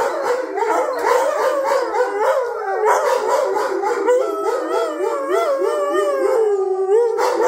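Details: Pack of pet wolfdogs, Jake, Honey and Coco, howling in the house, triggered by Honey after Jake got loud while the others were petted; multiple overlapping voices with wavering, undulating pitch, some howls sliding downward toward the end.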